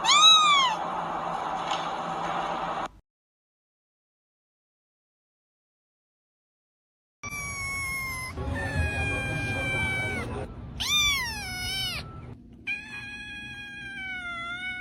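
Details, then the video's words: Cats and kittens meowing in a compilation: a run of separate meows from several animals, some rising then falling, others high and drawn out, broken by a three-second silent gap, with faint music beneath. "Funny Cats and Kittens Meowing"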